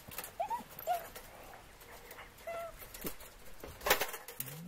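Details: Hounds chase a squirrel that is escaping, giving short, high yelps and whines at scattered moments over steady outdoor rustle, with a few sharp knocks and a louder burst near the end.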